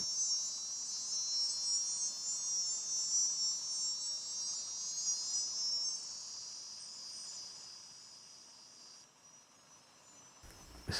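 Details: Cicadas singing in the countryside around Valsequillo: a loud, continuous, high-pitched buzzing drone with a steady shimmer, slowly weakening toward the end before cutting off abruptly.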